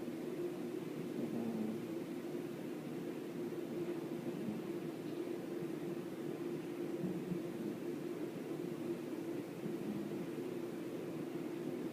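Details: A steady low droning hum, like an engine or fan, fills the whole stretch with no animal voice standing out.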